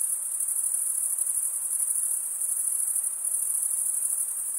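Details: Stridulating male crickets produce an unbroken shrill trill, very high and finely pulsed, holding an even loudness throughout with nothing else audible.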